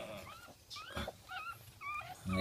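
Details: Newborn Jack Russell Terrier puppies just after birth, early morning, give thin rising-and-falling whimpers and squeaks while a person talks over them in Filipino.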